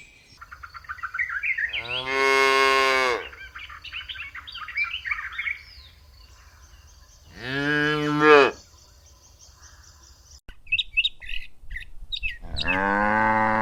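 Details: A cow on a lush green meadow, where cows search for food, gives three long, harmonic-rich moos, with small birds chirping in between.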